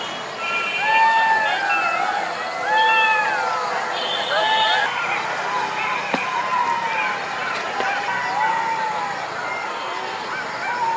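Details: Golden jackal chorus at night: many overlapping wavering, siren-like wails that rise, bend and fall, with shorter yelping notes breaking in among the longer howls.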